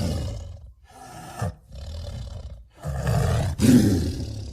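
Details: Deep, throaty tiger roars and growls: a low rumble fading out, a couple of softer grumbling phrases, then a louder coarse roar building toward the end.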